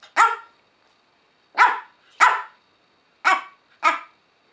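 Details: Yorkshire Terrier indoors barking in reply to its owner's multiplication questions, praised as correct; five short sharp barks, two close together, a pause, then three more spaced about half a second to a second apart.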